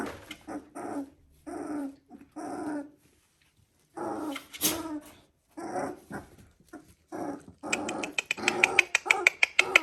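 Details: Border Collie puppies, three weeks old, indoors: repeated short whining calls with a clear tonal band, broken by pauses, followed by a rapid run of sharp clicks or taps toward the end.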